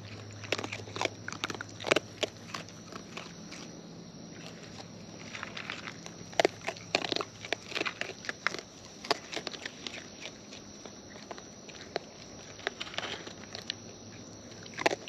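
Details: Raccoons in the wild feeding at close range. Irregular crunching and smacking bite sounds pile up in clusters over a constant low drone, with brief pauses between bouts of eating.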